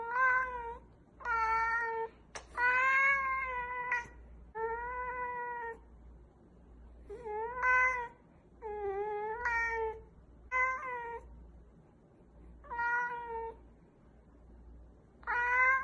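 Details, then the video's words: Strange cat noises: a series of about ten drawn-out, wavering meows and yowls with rich harmonics, each lasting around a second and separated by short pauses, plus a faint low hum underneath. "Crazy Weird Cat Noises"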